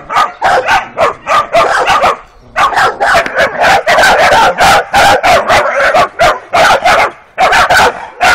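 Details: Working Kuvasz puppies aged 12 weeks bark almost nonstop during their first walk along a street, dense, loud, high yaps tumbling over each other with only brief gaps.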